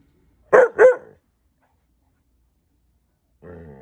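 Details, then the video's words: A white husky talks back after being told it is bedtime, giving two quick, harmonic, grumbling yips in a row, followed by silence and then a person's voice starting near the end. "Husky talking back"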